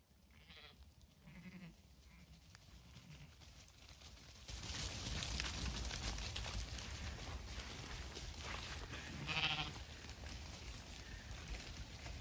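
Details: Zwartbles ewes at feeding time after torrential rain on a regenerative farm in County Kilkenny, Ireland: a couple of wavering, harmonic bleats early on, then a louder drawn-out bleat near the end, partly masked by a steady rush of rain or wind.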